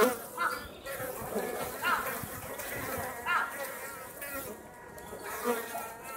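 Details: Japanese honey bees at Osaka Castle, a colony already in wintering mode, leave the nest to forage on a mild late-autumn day, giving a steady, droning wing buzz that swells and fades as they pass.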